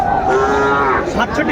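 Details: Sahiwal bull calves at a cattle market in Mymensingh, Bangladesh, on 30 May 2024; one gives a loud, steady, harmonic moo held for about a second, with traders talking in the background.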